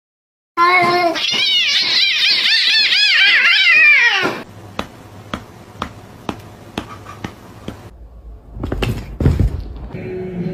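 A domestic cat gives a rapid run of wavering, warbling meows, then sharp taps and clatter follow.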